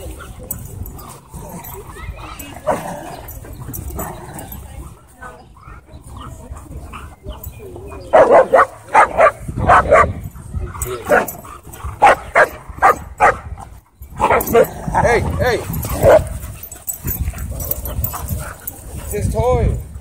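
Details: Dog at a dog park where a Bull Terrier and a German Shepherd clashed; a run of sharp barks comes in short bursts through the second half, over people talking and low rumbling background noise.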